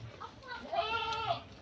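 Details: A noisy goat in a pen, one that keeps calling, gives a wavering, nasal bleat over a man's voice.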